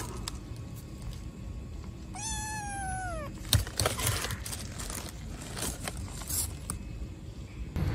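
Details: Black kitten abandoned in a street trash box gives one loud, long meow that starts high and slides downward, followed by rustling, knocking and handling noises in the background.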